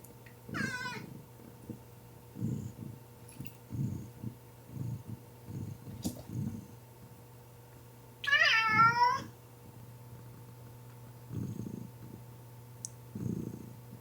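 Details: Abyssinian cat resting sleepily by a window in a home on Jeju Island, purring loudly; low rhythmic purr pulses about twice a second run throughout, broken by two short high meows.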